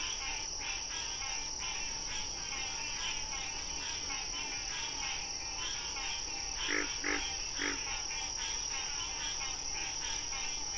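Frogs calling in short, repeated pulsing bursts over a steady high insect drone.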